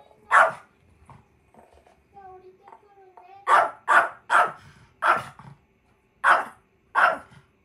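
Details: Indoor Chihuahua Kohaku protesting angrily, trying to keep its favourite daughter from returning to her room; a single sharp bark, soft human voice in the pause, then a run of six quick barks roughly half a second apart.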